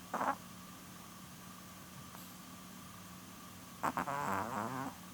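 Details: A short snort, then after a pause a rattling, wavering snore of about a second from Porun, a sleeping nearly twelve-year-old female Chihuahua; a quiet steady hum fills the background.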